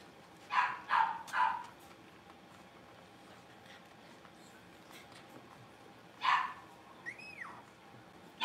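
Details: Blenheim Cavalier King Charles Spaniel puppies from a litter of five born at New Year, learning to bark in their home puppy pen: three sharp yappy barks in quick succession, a long pause, another bark, then a rising-falling whine.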